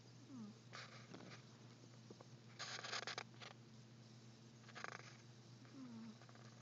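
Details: Sleeping cat snoring: raspy, breathy bursts about two seconds apart over a steady low hum, with faint small squeaky tones in between.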